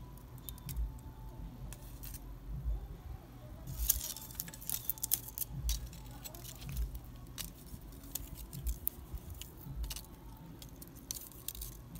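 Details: Scattered jangling and clicking sounds over a low background murmur of faint voices and music, without any animal call.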